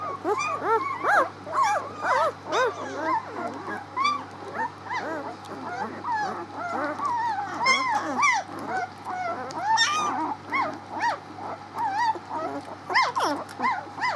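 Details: A litter of six-day-old pups crying continuously, many thin curved squeals and whimpers overlapping in waves, some sharper peeps, with a constant low background hum.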